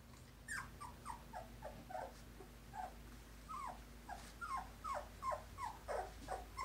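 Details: Two-week-old Poodle puppies from a litter of five brindle and parti-colored pups. They give a steady run of high, squeaky whimpers, each a short rising-then-falling yelp, overlapping irregularly about three times a second, with low background hum.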